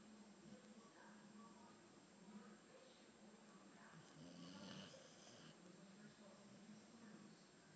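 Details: Snoring of Theo, an albino Boxer, inside a small room: soft, regular rasping breaths with a buzzy low drone, one slightly stronger breath midway, and a faint constant high-pitched hum behind.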